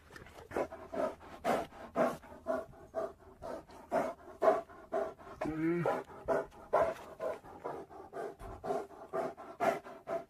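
An Asian black bear gives rough, breathy huffs about twice a second, with one wavering moan midway.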